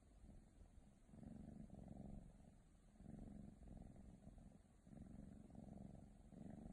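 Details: A young female Ragdoll cat purrs in a close, low rumble, its intensity surging and easing with each breath roughly every one to two seconds, nothing else audible.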